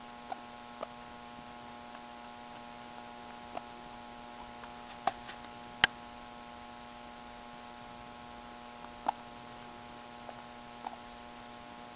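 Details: Steady electrical mains hum with scattered faint ticks and clicks, and no animal voice.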